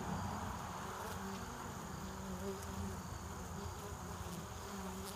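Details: Honeybees at a hive entrance in the early evening, returning with pollen and nectar for winter as flights wind down: a steady, dense buzzing hum with a low drone and faint overlapping wingbeat tones.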